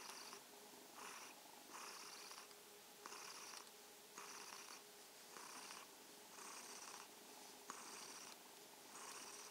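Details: ['Indoors in the evening, the domestic kitten Mausi keeps up a soft purr. Raspy pulses follow each breath about once per second or slightly slower, evenly spaced, over a low constant background hum.']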